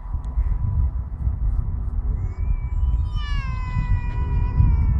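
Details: An Alaskan Malamute, outdoors on a playing field in the evening during day 2 of grooming out its heavy moult, gives a drawn-out, wavering whine over a steady low rumble of background noise.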